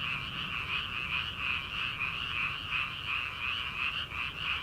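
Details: Rice-paddy frogs in early summer, heard late at night before transplanting: a continuous, high-pitched croaking chorus with a rapid, slightly uneven throb and nothing else prominent.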